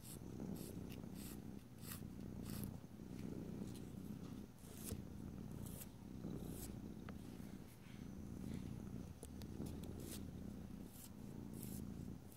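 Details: A house cat purs contentedly while nails are filed, deep steady rumbling in rhythmic swells about every two seconds, overlaid by repeated short scratchy filing strokes.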